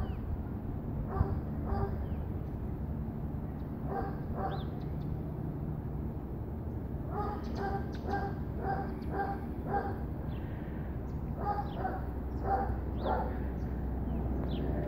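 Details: Dog giving bursts of rapid, short barks in clusters, pausing between runs, over a constant low droning hum with faint higher chirps.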